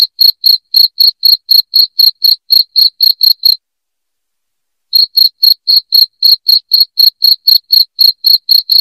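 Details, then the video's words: Loud, shrill cricket chirping intended to chase rats from a home, about four sharp high pulses per second, interrupted by a silent gap of over a second midway, then continuing unchanged. "SUARA JANGKRIK NYARING"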